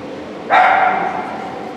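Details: A single loud bark from Sheltie Катрилонс Скуби Ду during Obedience-1 at the St. Petersburg Cup on 11.02.18, abrupt and tonal with a lingering echo, against a low hum of hall noise.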